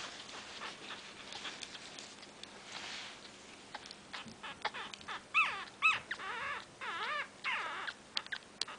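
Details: Five-day-old miniature pinscher puppy whimpering, soft scattered squeaks building to wavering rising-and-falling cries in the second half, with a low steady hum in the room.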